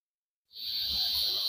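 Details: Cicada singing in the height of summer, calling at all hours; a dense, steady high-pitched buzzing drone starts abruptly after a short silence and holds unbroken to the end.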